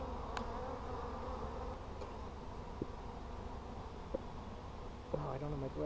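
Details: Colony of honey bees humming in an opened hive during a beekeeper's check on 17 July 2020. The buzz is even and continuous, with a few sharp clicks and a short spoken phrase at the end.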